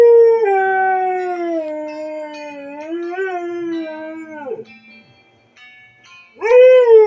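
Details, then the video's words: Female Siberian Husky howling along to her alarm song: one long, loud, sliding howl that falls and wavers for about four seconds, then fades. After a short pause, a fresh rising howl begins. Faint music is heard underneath. "Husky Howling To Her Alarm Song"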